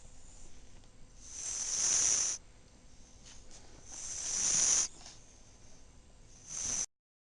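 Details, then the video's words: Tebaldi, a female Chihuahua and Italian Greyhound mix, naps beneath a pink towel making snorty noises: breathy, hissing snores that swell and then cut off, about every two and a half seconds, three in all. "Tebaldi napping and snoring"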